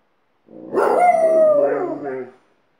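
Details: Alaskan Malamute leading a howl lesson for a second household dog: a smooth, gently falling howl of nearly two seconds with a clear tonal line, softer broken notes tailing off after it.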